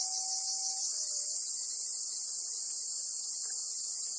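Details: On Amami Oshima, a black cicada seized by a golden-web spider: unbroken, harsh high-pitched buzzing dominates throughout, with a brief faint steady tone at the start before only the hiss remains.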